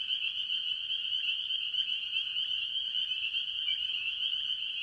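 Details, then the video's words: Farm pond recording early in the year where spring peepers dominate a mixed tree frog chorus, giving a constant, high, ringing drone of countless overlapping peeps. "Tree Frog Sounds - Spring Peepers"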